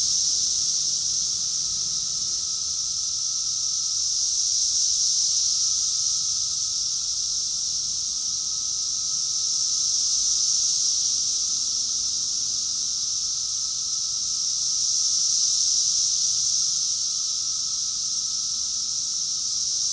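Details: Cicada chorus recorded in June 2021 in Rockville, Maryland, USA, in summer: a dense, unbroken high hissing drone that swells and eases about every five seconds, with a thin steady whine running beneath it.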